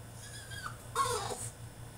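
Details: Caged French Bulldog throwing a tantrum, giving a brief high whine and then a louder falling, nasal cry lasting about half a second, with a low electrical hum underneath.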